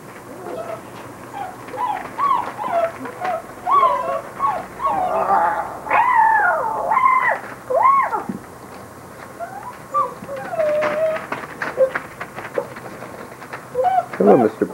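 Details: Several Basset Hound puppies whimper and whine in a quick run of rising and falling squeaky cries, with soft rustling and a voice in the background.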